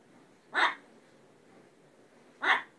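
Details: Chatty pet dog, 19 September 2010, letting out two loud, short barks nearly two seconds apart as its owner urges it to go tell dad.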